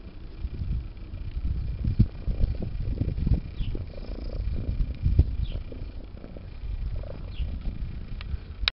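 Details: Low, continuous rumbling purr from Bitey Cat, a pet cat biting at a zipper during play. The purr swells and fades in pulses, with soft rustles and a sharp click at the end.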